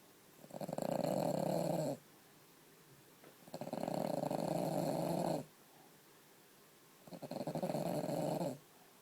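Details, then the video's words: Female French Bulldog Aino, groggy and asleep for hours on a pee-proof bed made from an Ikea bag after broken toenail removal. Three buzzy, rattling snores, each about one and a half seconds, come every three and a half seconds with quiet breaths between. "Aino my French bulldog passed out & snoring"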